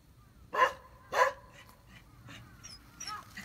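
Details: Pet Beagle named Gonta on Amami Oshima, busy with a glass sponge, gives two short, sharp barks about half a second apart, followed by quiet background with faint high whistled sounds.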